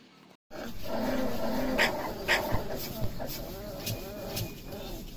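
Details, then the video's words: Saint Bernard puppies playing, giving thin, wavering whines and soft whimpers over a steady background hiss, with human voices and a few sharp clicks mixed in. "Saint Bernard puppies playing"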